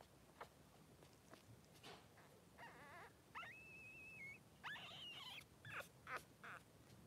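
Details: Three-day-old Blenheim Cavalier King Charles Spaniel puppies with their mother Pom-Pom in a newborn pen. Faint high squeaks and a long level whine, then quick chirpy cries over soft rustling background.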